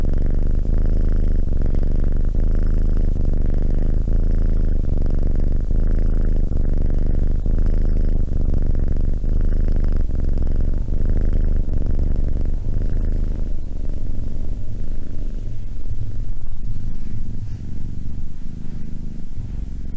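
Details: Cat purring in a steady low drone, pulsing with each breath in and out, growing softer and rougher in the last few seconds.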